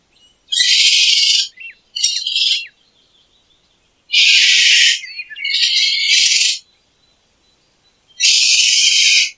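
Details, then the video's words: Raspy, hissing screeches from a raccoon, five noisy bursts in irregular rhythm, some paired closely together, separated by quiet pauses. "Sound of Racoons and Pictures.| Racoon sound."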